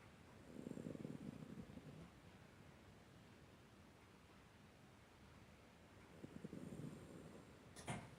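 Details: Tuna, a 19-year-old Miniature Dachshund, snores while asleep: two soft, breathy, low rasping snores, the first lasting over a second and the second following about five seconds later, with quiet stillness between.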